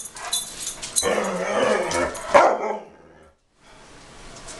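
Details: A dog that dislikes having its picture taken gives a long, rough, growling bark rising into a sharp yap. The bark cuts off into a brief silence, then a low background hiss.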